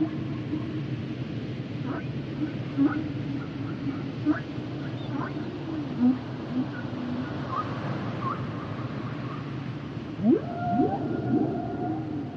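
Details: Sounds of humpback whales: a series of short clicks and brief upward chirps, then a steep rising whoop and wavering mid-pitched moans near the end, over constant low underwater roar.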